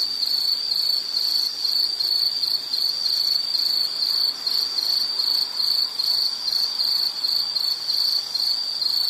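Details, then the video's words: Nature sound of an insect: rapid, high-pitched pulsing chirps run on steadily, a shimmering trill over quiet background hiss. "Sound · Nature Sound of nature sounds scenery L · insect"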